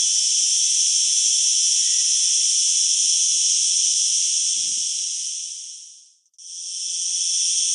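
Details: A cicada, a tree-dwelling flying insect, sings a loud, steady, high-pitched buzz that runs almost without pause.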